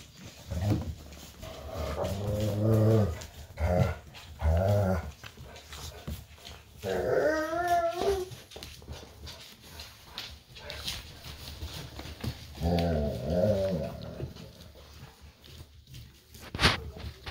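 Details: Golden retriever puppies playing indoors with their siblings, parents and an aunt on the floor while the mother disciplines them over nursing. Low growls mix with whimpering, wavering whines in bursts near 2–3, 7–8 and 12–14 seconds.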